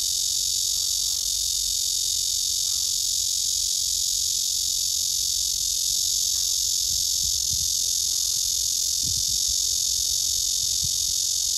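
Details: A nervous blackish cicada (말매미) gives a loud, unbroken, hissing buzz that holds steady without a pause; it urinated three times within two minutes.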